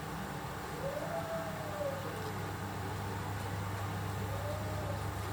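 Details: Dachshund puppies, a brother and sister 22 days old with eyes newly open: a thin drawn-out whine rises and falls, then a shorter, softer whine follows, over a steady low mechanical hum.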